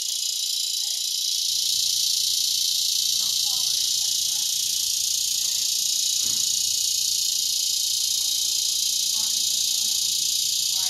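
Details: A dense cicada chorus in Broken Arrow, Oklahoma in August 2020 gives a steady, high, hissing drone that never lets up.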